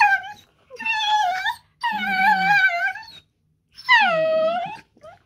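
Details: Two pet Dachshunds talking during rough and tumble play: three long moaning whines, each over a second, wavering and slightly falling, with a low growl beneath the middle one.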